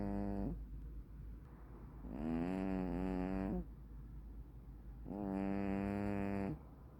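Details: Sleeping tuxedo (black-and-white bicolor) cat snoring loudly: long droning harmonic breaths, each about one and a half seconds, repeating roughly every three seconds, with a faint steady low hum underneath.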